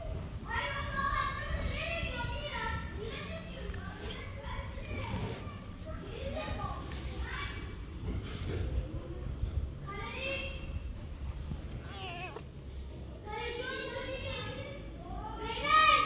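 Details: Gray long-haired male cat with a big head meowing in a run of wavering, arched cries, several bunched closely together with short pauses between, over steady background noise.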